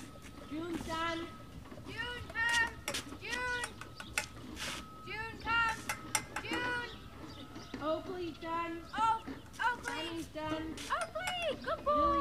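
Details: Dogs at breakfast at the Service Dog Project in Ipswich, Massachusetts, USA, on November 30, 2017: many overlapping high, arched whines and yelps in quick succession, with a steady faint tone, clatter and voices behind.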